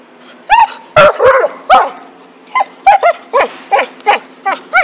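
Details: Dog playing with a stick, letting out a fast series of short, sharp, high yipping barks, roughly two to three per second, with a few louder squeaky whines early on and a low steady hum underneath.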